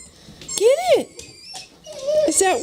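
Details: Holly, a pet dog indoors, cries on hearing squeaky toys she cannot find. Two high, wavering whines rise and fall, the second drawn out and quavering, with faint squeaky-toy tones above.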